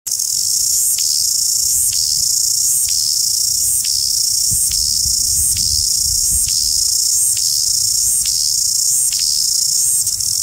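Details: Cicadas in New Zealand: a continuous shrill, high-pitched buzzing drone that dips briefly about once every second in a steady rhythm, with faint low rumble beneath.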